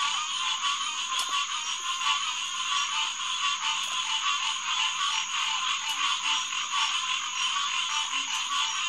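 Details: Hyla cinerea, the green tree frog, calling in a large chorus at a refuge headquarters pond, SMNWR, at 9:10 pm on June 2, 2021. Massed, rapid nasal notes overlap without pause beneath a steady shrill insect tone.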